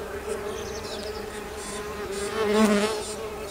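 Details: Bees emerging in spring: a steady, low droning hum with layered overtones, swelling louder for a moment near the end as one bee passes close.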